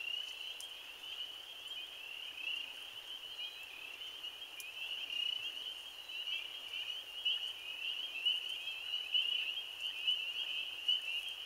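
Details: First spring peeper chorus of the year, April 15, 2013, heard somewhat fainter: a continuous shrill ringing of many high peeps blending together, with occasional louder individual notes and a soft background hiss.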